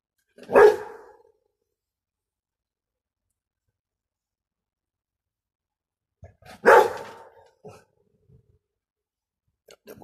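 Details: Rottweiler puppy named Clyde, nearly six months old, spooked by a hissing punctured football; two sharp barks about six seconds apart with quiet between, faint shuffling sounds after the second bark.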